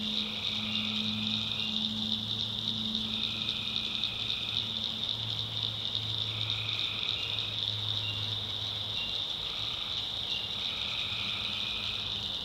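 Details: Tree frogs in a North Carolina backwoods swamp after dark, giving staggered trills of a second or two, layered over a continuous high-pitched insect whine and a deeper drawn-out droning note.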